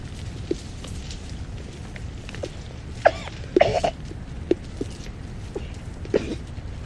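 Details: Chacma baboons coughing and screeching while a troop feeds: scattered short barking coughs, a louder cluster of harsh screechy calls near the middle, over low rumbling background grunts.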